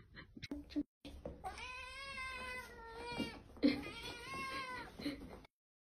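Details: Domestic cat meowing insistently, a long drawn-out call with rich stacked harmonics, then a short break and a second extended wavering meow, sounding loud and demanding, recorded indoors.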